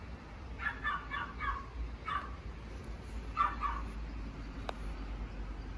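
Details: Sleepy baby female Pomeranian lets out a quick run of four or five soft yips, then a single yip, then a pair about two seconds later, against a steady low hum.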